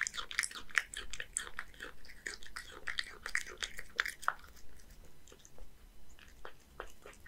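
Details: Crisp bites and chewing from Hige, a one-year-old male Scottish Fold cat in Japan, working through horse mackerel and dry kibble; sharp crunches cluster in the first four seconds, then thin into scattered softer chews.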